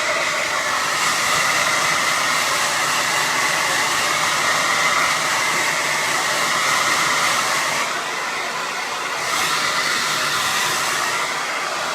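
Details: A hair dryer roars steadily throughout with a broad hissing whine, briefly dipping in level, and no animal sound is heard.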